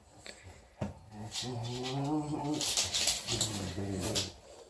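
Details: English Bulldog puppy, a four-week-old female, playing with her teddy bear, producing low, throaty growling in two close bouts that wobble slightly in pitch, over scraping and rustling noises.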